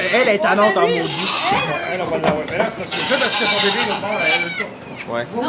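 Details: Birth of two baby goats in a Quebec sugar shack, Canada. Trembling, nasal bleats break out repeatedly, mingled with continuous French speech; the calling fades toward the end.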